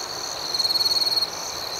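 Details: Crickets at night: one high, pulsed chirp of rapid even pulses lasting under a second rises above a steady high hiss of other insects in the background.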